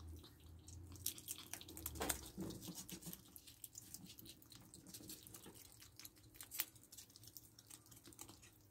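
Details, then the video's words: Ferrets feeding on raw rabbit carcass, chicken neck and beef indoors: a steady run of moist, clicking chews and tearing sounds, about two or three per second, with a louder crunch near the middle. "Ferret ASMR | Rabbit Carcass, Chicken Neck & Beef"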